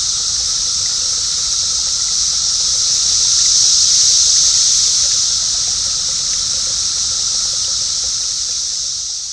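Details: Brood X periodical cicadas, the seventeen-year Great Eastern Brood of the eastern United States, in a loud outdoor summer chorus made by males to attract females; a steady high, hissing buzz swelling mid-clip, with a duck present.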